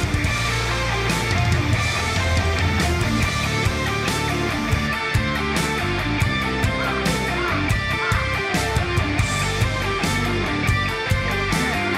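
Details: Loud rock music with driving electric guitar and drums fills the recording, with no animal voice audible.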